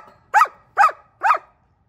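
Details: German Shepherd dog at home giving three quick, evenly spaced barks, about two per second, in a quiet room.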